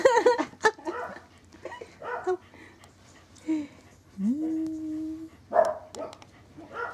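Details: Corgi puppy, a male born 19 January 2012, recorded 26 February: a run of short, sharp yaps and yelps, then a drawn-out whine that rises and holds steady for about a second, followed by more yaps.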